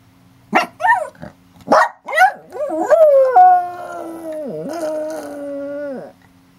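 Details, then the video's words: Wolf-like howling from Banjo, a pet dog: a few sharp yips and rising yelps lead into one long, steady, mid-pitched howl that dips briefly, then holds before stopping abruptly. "Banjo howling like a wolf"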